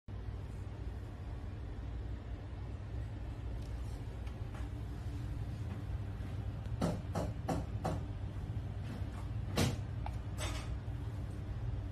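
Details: A steady low rumble, with a few sharp clicks and knocks near the end and no animal voices.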